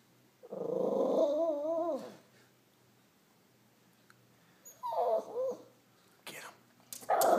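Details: Excited dog named Rocky reacting to a squirrel eating a nut: one long wavering whine of about a second and a half, a shorter whine later, then a sharp burst at the close over a quiet background.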